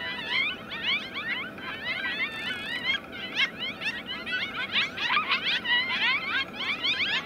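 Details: Five coyote pups, cuddled together awaiting their mother, answer her returning howl with a chorus of howls nearly a minute long, a dense mix of high, wavering yips and quavering whines.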